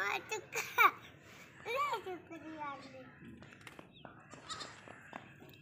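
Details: Playful baby goats running and jumping bleat in quick, bending, harmonic cries in the first two seconds, then fainter calls fade out amid children's voices and light background noise.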